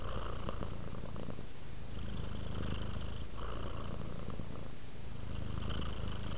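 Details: Relaxed house cat purring, a continuous low throbbing rumble pulsing with each breath, the raspy upper overtones fading in and out about every two to three seconds.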